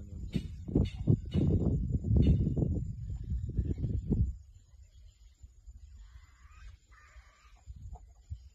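A hyena gives a run of deep, rough, pulsing grunts and growls in quick bursts.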